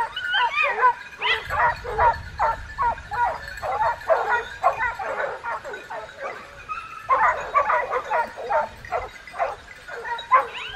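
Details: Group of hunting dogs barking continuously, quick overlapping yaps and baying barks with a short pause around seven seconds before the chorus picks up again.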